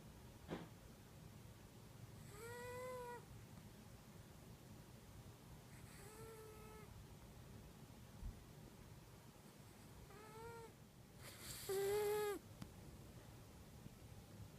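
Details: Female house cat Kitu in the deepest sleep, recorded with an iPhone, gives four piping, harmonic snore tones spaced a few seconds apart, the final one louder and sharper, with a quiet room hum underneath.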